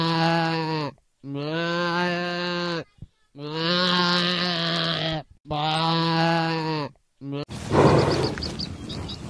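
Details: Goat bleating in four long, loud, wavering calls of about one to two seconds each with brief gaps, strongly harmonic and slightly quavering; a burst of rougher, noisy sound follows at the end.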